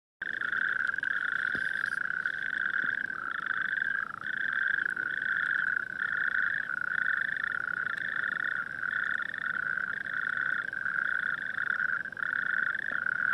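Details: A chorus of natterjack toads calling at night among coastal dunes, with distant town lights in view, gives loud, rolling churrs that overlap into a near-continuous rattle echoing around the dunes.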